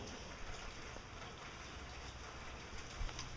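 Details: Steady hiss like rain or running water fills the recording, with faint high whines and a few soft knocks, but no animal voice.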